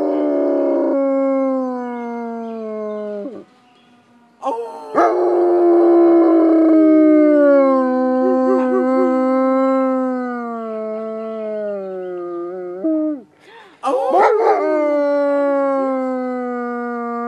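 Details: German Shepherd howling in response to the 12 pm siren in Watchung, New Jersey; long wavering, tonal howls that slide downward, rising again after short breaks, layered over a steady, slowly falling siren tone.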